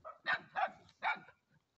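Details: Three hoarse dog barks about a third of a second apart, then silence.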